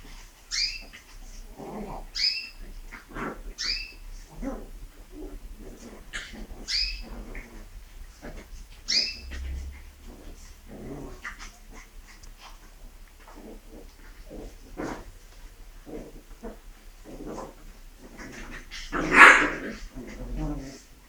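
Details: Shih Tzu puppies, a brother and sister, playing together as their father reacts to his son playing with his stuffed toy. High, whiny yips arrive about every second and a half, then soft scuffling and small squeaks, with one louder squeal near the end.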